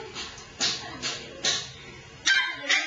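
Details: Two-month-old poodle puppy at a show, giving a series of short high yips roughly every half second, with faint background music and a person's voice nearby.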